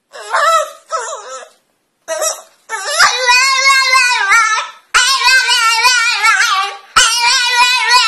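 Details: French bulldog indoors trying to get up onto a couch, giving short nasal whimpers at first, then long, drawn-out wavering whines and moans in three sustained bursts, rich and tonal with a warbling pitch.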